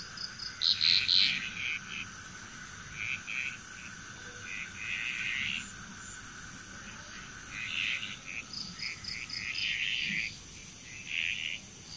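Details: Bali, Indonesia frog chorus: quick croaking bursts in scattered groups, some louder near the start, others softer further off, over a constant high-pitched buzzing background.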